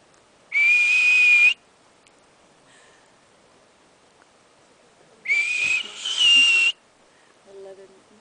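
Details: Confused marmot addressed by a person at Berg Lake, Mt Robson, Alberta, Canada; two loud whistles, the first about one second, the second longer and split with a slight rise partway through.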